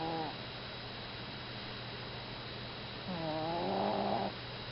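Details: Pet Chihuahua asleep and snoring, two buzzy drawn-out snores a few seconds apart, each with layered harmonics curving upward, over a constant background hum.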